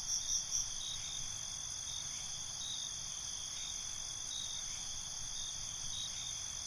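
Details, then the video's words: Crickets calling at night: a brief louder shrill trill at the start, then a steady high-pitched ringing chorus with faint rhythmic pulses and a low background hum. "Cricket Conversations"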